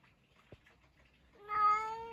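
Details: A pet cat answering its owner's questions with a single loud, steady meow near the end, preceded by a soft click and quiet indoor sounds.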